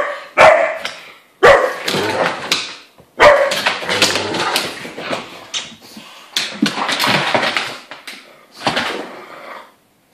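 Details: Irish wolfhound, pug and Landseer pup at play indoors, the wolfhound in heat and the pug keenly interested; loud broken barks and yips come in bursts with pauses, plus scuffling noise of the dogs moving.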